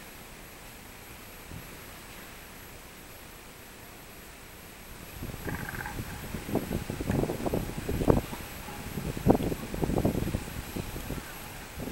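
Quiet outdoor background, then irregular thumps and rustling knocks with no clear animal voice.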